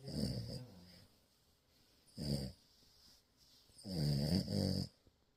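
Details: Sleeping French Bulldog puppy at a morning cuddle, giving three throaty, vibrating snores, the last one longest and loudest, with quiet pauses between them in a small room.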